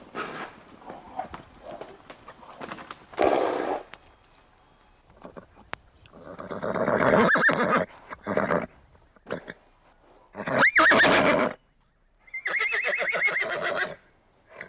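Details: Horse snorting and blowing air in rough bursts, then giving a high, shaky neigh that rises and falls, followed by another long quavering whinny, with soft hoof clatter early on.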